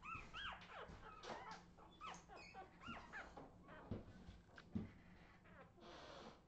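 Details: Australian Terrier puppies from 2018 letting out scattered high arched whimpers and short yips, irregularly spaced, over a constant low electrical hum and some handling noise.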